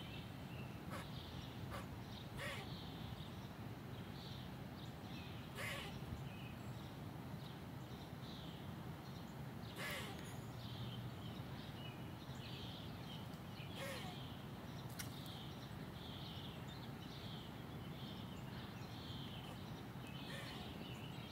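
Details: A squirrel gives sharp, raspy barks at uneven intervals over a steady low rumble; the barks are likened to a clown nose.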